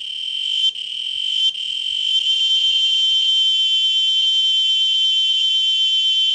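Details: Chicharras (cicadas) from Chimalapas Mountain: a loud, shrill, continuous metallic buzz holding a steady high pitch, briefly dipping twice in the first two seconds, then droning on unbroken, with faint low thumps beneath.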